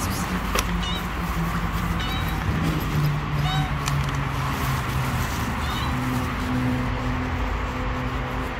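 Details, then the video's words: Little stray street kittens that keep their distance from a person they do not trust, giving several short, high, thin mews scattered through the clip, with constant low traffic noise and a humming voice underneath. "Little kittens won't come near me because they don't trust me."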